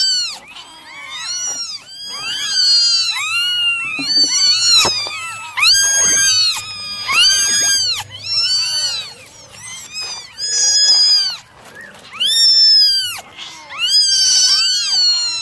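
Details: A litter of nine domestic kittens mewing through a morning drying session, a long run of piercing, overlapping arched cries in quick irregular succession, rising and falling in loudness.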